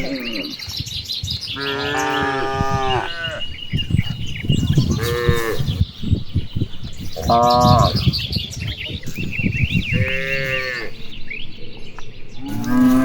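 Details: Dozens of cattle grazing and playing across wide rice fields on an afternoon, calling to one another: repeated long harmonic moos, several overlapping, with birds chirping in the background.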